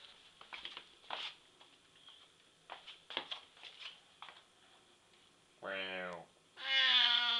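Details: Siamese cat indoors: soft clicks and rustling at first, then two loud drawn-out meows with a nasal, harmonic tone, the second longer and steadier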